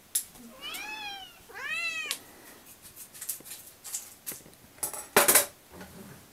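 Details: Cats pestering for breakfast at home let out two clear arched meows in quick succession, then clinking and knocking sounds, perhaps dishes, fill the rest.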